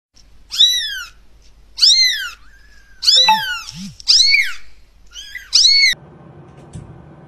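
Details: Cat giving six high, arched meows with rich stacked harmonics, each about half a second long and spaced roughly a second apart, two short low grunts under the middle calls, then a burst of indoor room noise at the end.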